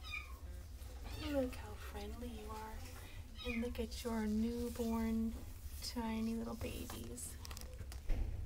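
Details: Mindy, a mother cat with her five kittens, gives a run of clear, tonal meows, some rising then falling, several drawn out, roughly one every second, while a woman speaks Spanish over a low hum.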